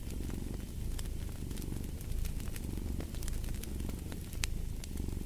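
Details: Cat purring by a fireplace: a steady low rumble that swells and eases in cycles of about one second, with sharp crackles and pops from the fire scattered throughout.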